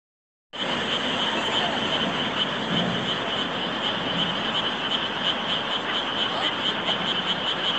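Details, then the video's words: A chorus of frogs: dense, continuous croaking from many callers with a bright pulsing trill running throughout, starting abruptly after a half-second of silence and holding steady to the end. "개구리의 합창"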